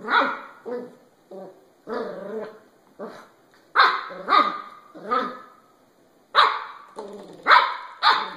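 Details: Several puppy barks fire off at irregular intervals, roughly a dozen sharp, bright yaps, some grouped in quick pairs and triplets near the end, with softer lower yelps between them.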